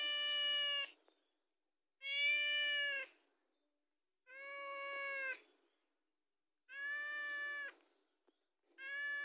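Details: House cat asking for food, giving long, steady, clear meows, each about a second, repeated roughly every two seconds with quiet gaps between.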